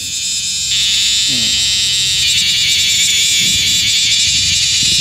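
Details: Bear cicadas, male and female, giving a loud, dense, continuous high-pitched buzz that swells in strength after the first second and then holds steady, with faint low rumbling underneath.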